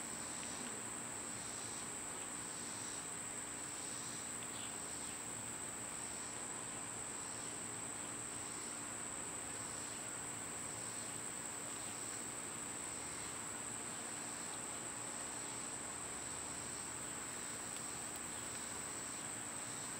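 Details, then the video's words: Cicadas in summer, a steady high-pitched whine held throughout with a softer pulsing buzz beating about once a second beneath it, and a faint low hum in the background. "Cicada sounds"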